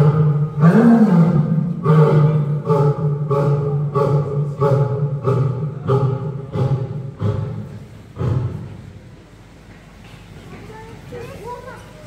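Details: A lioness at Sofia Zoo roars, opening with a deep moan and then a run of short, heavy grunts.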